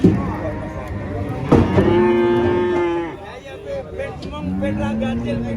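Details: A giant female cow rampaging while being loaded under a tree said to be haunted gives loud, drawn-out moos, one long level bellow followed by a second rising moo, with voices in the background.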